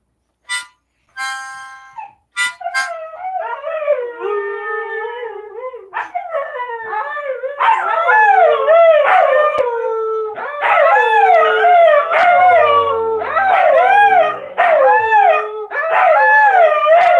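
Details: Pet Siberian Huskies howling together at their owner's prompting, including a female puppy, Eleanor, learning to howl from her older sisters, and Memphis joining in; brief sharp starts give way to overlapping wavering howls that rise and bend, growing louder in layered bursts.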